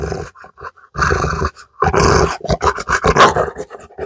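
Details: Female Rottweiler reacting during a home dog challenge: rough, noisy growling bursts with harsh barks, several loud outbursts in about four seconds, separated by brief pauses, no speech.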